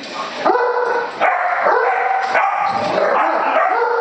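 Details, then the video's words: Great Dane named Jasper, a pet dog that hates balloons, reacting to a balloon with loud, drawn-out whining moans that bend up and down in pitch, each lasting under a second and running almost without pause. "Great Dane hates balloon"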